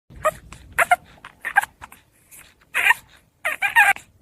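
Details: Hungry puppy making short, breathy whimpers and squeaky yips in scattered bursts, some high and thin, with quiet gaps between them.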